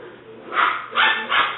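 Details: Alice, a seven-week-old black and white tri-color female English Springer Spaniel puppy, filmed 5/17/09, gives three quick high puppy yips about 0.4 seconds apart over a low steady hum.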